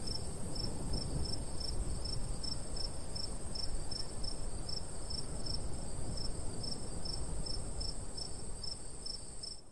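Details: Crickets in summer countryside beside a golden wheat field, a light breeze blowing. Short high chirps repeat steadily about twice a second over a continuous thin high whine, with a soft rumble of wind underneath throughout.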